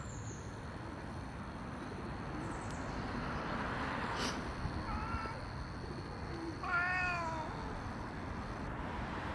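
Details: Domestic cat, one of two cats, a friendly black cat and an unfriendly other cat. A faint short meow comes first, then a louder, drawn-out, wavering meow, heard over a steady outdoor background hiss.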